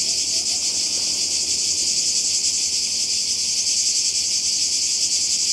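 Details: Seaside cicadas in Croatia during summer 2020 keep up an unbroken, piercing high buzz, many insects merging into one even wall of sound with a fine rapid throb.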